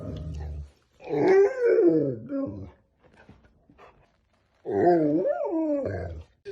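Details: Golden Retriever indoors giving two drawn-out, wavering whining grumbles, each over a second long and rising and falling in pitch, with a low growly rumble at the start and a quiet gap between them.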